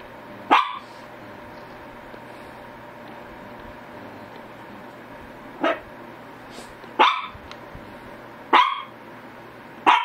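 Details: Spaced single barks from a Shih Tzu, five brief sharp yaps at irregular intervals of one to five seconds, separated by quiet stretches with a low hum.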